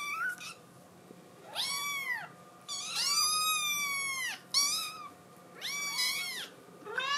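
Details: ['Scottish Fold kitten, a blue tabby female, pleading to go outdoors: about five strong, long, arched meows, some lasting over a second, separated by quiet gaps in a still room.']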